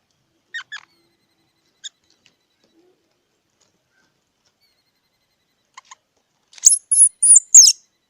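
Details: Faint, scattered squirrel chirps early on, then four loud, piercing high whistles in close succession near the end, one bending and wavering in pitch.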